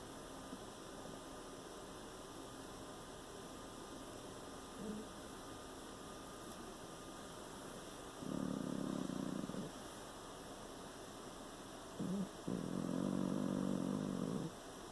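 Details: Sleeping pet cat snoring: two low, rasping breath bursts, the first around eight seconds and a longer one near thirteen seconds, over a constant electrical hum and an otherwise quiet room.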